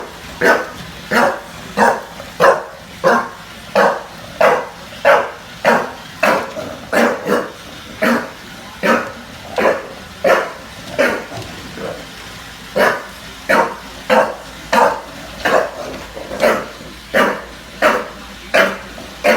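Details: Junior, a bulldog in NYC, barks at a Roomba: a long, steady run of short, punchy barks, about one every two-thirds of a second, with brief quiet gaps between them.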